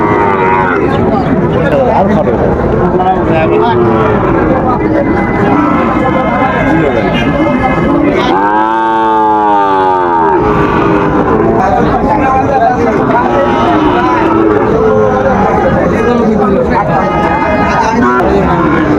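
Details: Sahiwal bull calves for sale at the opening of Raniganj cattle market, Dinajpur, on 10 July 2025: a single long, arched moo lasting about two seconds rises out of steady crowd chatter and bargaining voices.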